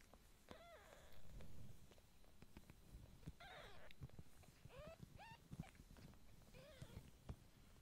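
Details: Kitten meowing repeatedly, about five or six thin, high cries that arch up then drop, some squeaky and clipped, with soft bumps and low background rumble between them.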